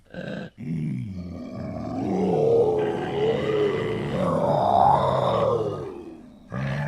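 A leopard gives a deep, rumbling growl that swells and rolls on for several seconds.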